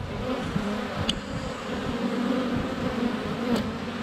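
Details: Honey bees crowding the hive entrance in February sunshine, GoPro Hero 7 Black less than a foot away; continuous low droning buzz of many wings, with two sharp brief clicks, possibly bees landing on the camera.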